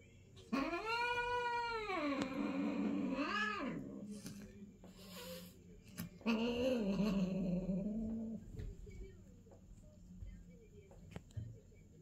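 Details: A female British Longhair cat gives loud, drawn-out yowls that rise and fall during her first mating; the pairing involves a golden (ny11) British Longhair and a silver (ns11) British Shorthair.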